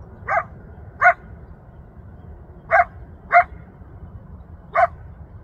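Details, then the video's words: Wild coyote in the Rancho Sierra Vista open space, Newbury Park, Ventura County, audible from about a mile away, yelping for its family: five short sharp rising yips, spaced irregularly, over a low steady rumble of background noise. "Yelping Coyote in Rancho Sierra Vista, Newbury Park"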